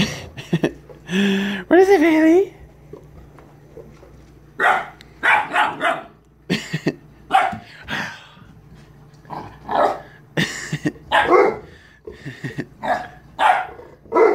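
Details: Siberian Husky pup, about 11 weeks old, romping with a Mastiff at end of day; a rising, wavering howl-whine early on, then a long string of short gruff barks and growls in steady bursts.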